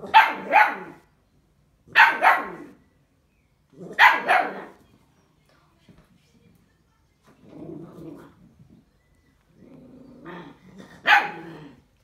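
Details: Bull Terrier puppy at its first bottle: three sharp double-pulsed barks about two seconds apart, then softer low grumbling noises and one more loud bark at the end.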